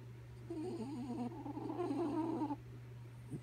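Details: Dog Kaya Boo asleep and snoring, giving a two-second warbling, whistly moan that wavers up and down in quick ripples before cutting off, set against a continuous low background hum.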